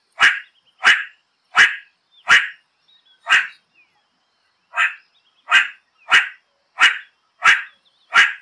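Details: Repeated meerkat barks: a dozen short, harsh, broadband yaps at a fairly steady beat of roughly one every 0.6 seconds, with one longer pause midway. The background is quiet.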